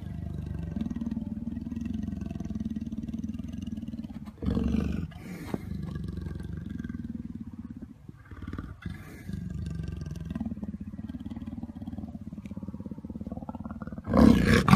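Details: Jaguar growling; a long, low, rumbling growl that runs almost without a break, with short pauses and bursts of noise, then a loud harsh burst at the end.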